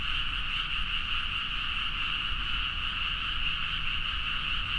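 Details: Late-night frog chorus in rice fields near Nagaoka, Niigata, Japan, captured with a Zoom H4n: many frogs croaking at once in an unbroken, even mass of sound, with a faint low hum underneath.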